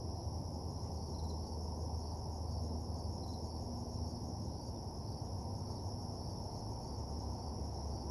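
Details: Crickets chirping at night in a lonely parking lot, a soft steady high trill with a couple of brief higher notes, largely covered by a loud low hum.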